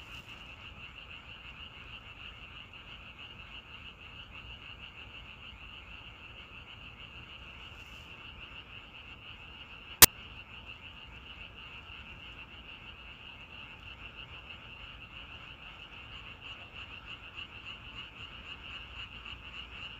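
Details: A softer frog chorus outdoors in nature: continuous overlapping high croaking trills that hold an even pitch throughout, with one sharp click at the halfway point and faint low background rumble.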